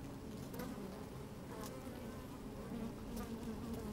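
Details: Steady, even droning of honey bees busy inside an open hive, microphone placed in among them on a sunny day; layered mid-pitched buzzing tones hold throughout with faint ticks and bumps.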